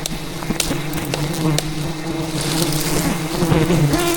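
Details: Wild bees in the jungle swarming aggressively while their giant hive is cut out by a honey hunter; layered buzzing drone that wavers in pitch as individual bees pass close, with crackling impacts.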